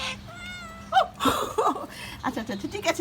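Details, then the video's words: Hungry pet cat, one of several household cats being called and fed at home. A single drawn-out, steady, even-pitched meow near the start, soon overtaken by a woman and a child speaking Bengali. "ক্ষুধার্ত বিড়াল_Hungry cat"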